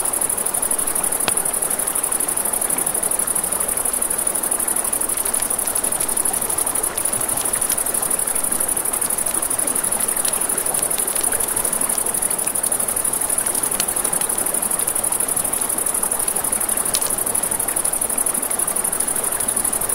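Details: Crickets trilling continuously at night near a river, a thin unwavering high tone over rushing water, with occasional sharp pops from crackling campfire flames.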